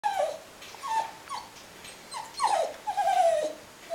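A Cairn Terrier complains in a series of high, nasal whines that slide downward.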